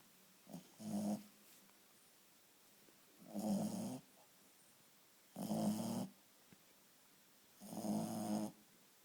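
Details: Sleeping Shih Tzu named Chewy snoring steadily, four harsh nasal snorts roughly every two to two and a half seconds with quiet gaps between, indoors.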